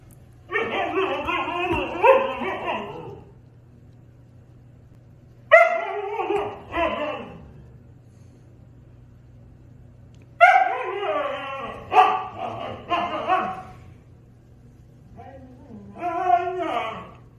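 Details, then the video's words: Husky and German Shepherd arguing, with drawn-out howling and whining vocal bursts of a few seconds each, separated by quiet gaps, giving three or four loud exchanges, some with a faint hum behind. "Husky and German Shepherd have an argument"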